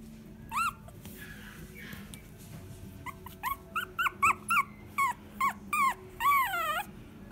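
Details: Puppy in a pet shop giving high, tonal whimpering yelps, a few at first then a fast run of short rising-falling cries, ending in a longer drawn-out whine; low background hum throughout.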